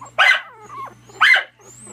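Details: Two sharp, high yaps from Miniature Dachshund puppies about a second apart, with a thin whining squeal between them.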